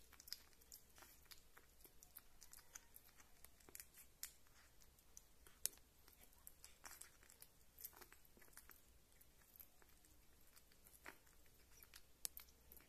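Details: A young house cat named Rita eats with steady, moist chewing indoors. Rapid crunchy ticks and soft smacking go on throughout, with sharper bites now and then, in a quiet room.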